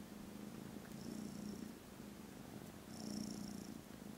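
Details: Low buzzing purr from contented foster kittens napping after lunch, filmed Friday 18th December. It pulses with breathing, rising on each breath roughly every two seconds, with a faint airy hiss.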